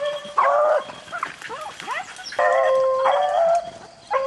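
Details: Rabbit-hunting beagles in the rain: sustained, steady bays from more than one dog, with quick squeaky yips and short rising cries in the gaps between the longer calls.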